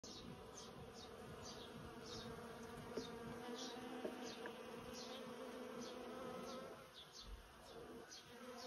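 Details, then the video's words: About a hundred bees working a persimmon tree, their wings making a dense, steady droning hum with layered overlapping tones, while faint high ticking sounds repeat through the background. "Sound of 100 busy bees in my persimmon tree"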